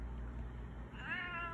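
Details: Baby Girl, a pet cat, begging for food indoors: after a steady low hum, a single rising-then-level meow with clear stacked harmonics closes the last half-second.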